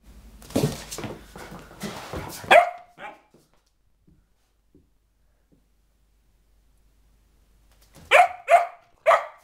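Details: Sophia, a four-month-old springer spaniel puppy going slightly crazy, lets out a cluster of sharp barks with scuffling noise, falls quiet for several seconds, then fires off three more quick barks.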